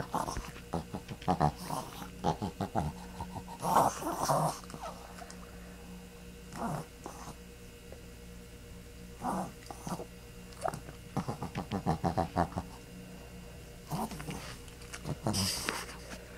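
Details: Zoey the dog grunts and snorts in short bursts spread over about sixteen seconds, rapid rattly clusters separated by quiet pauses, over a steady low electrical hum.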